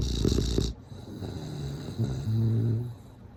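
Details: Sleeping bulldog giving a loud snorting exhale, then a softer rumbling, buzzing inhale snore.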